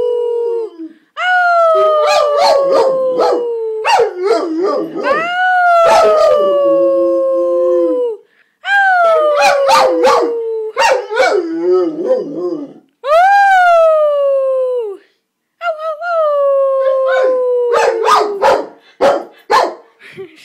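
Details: A male Rottweiler howling back at his owner gives long, falling howls in several drawn-out bouts, broken by short yips.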